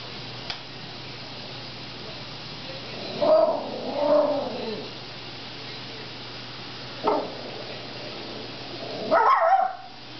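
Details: Female pet dog indoors growling at her own reflection in a dishwasher, giving a few short voiced, rumbling growls with a brief yip-like burst near the end, between quiet room hum.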